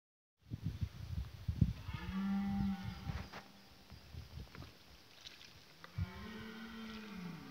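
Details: Red deer during the rut in 2018, recorded with a Canon 7D camera; two deep, drawn-out harmonic roars, the second slowly rising and falling, with rustling and scattered clicks in between.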